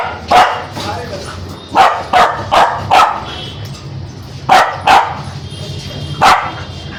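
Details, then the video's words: Angry Spitz dog giving loud, harsh barks, mostly in clusters of two or three separated by short pauses, about nine barks in all. "Spitz Dog🦮 || Aggressive dog🐾 || Barking dog || Angry dog || Dog sound effect"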